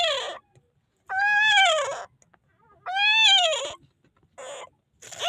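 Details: Crying newborn puppy, Philippines, calling for help before rescue: repeated high, bowed wails that swell and fall, about one every two seconds, with short chirpy yelps between.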